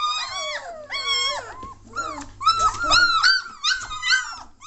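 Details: Three-week-old German Shorthaired Pointer litter becoming noisy indoors: clear long whining cries that rise and fall, then several puppies squealing together in quick overlapping bursts, over a soft low hum.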